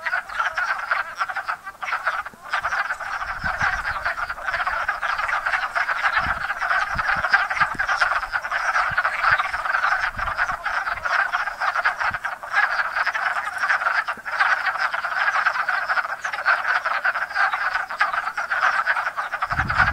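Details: Wood frogs by the hundreds at a pond in Enosburgh after winter frozen in leaf litter, mating in spring; an unbroken wall of rapid chuckling croaks with occasional soft low knocks.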